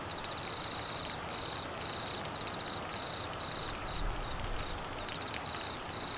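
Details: Crickets calling during heavy rain in the Australian monsoon season, Queensland flooding: a thin, high, steady trill broken into short pulsed bursts rides over a dense, constant hiss of pouring rain.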